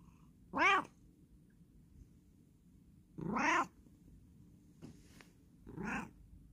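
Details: Bengal cat indoors meowing repeatedly, four harmonic meows about every two seconds, some drawn out and wavering, over a quiet room hum.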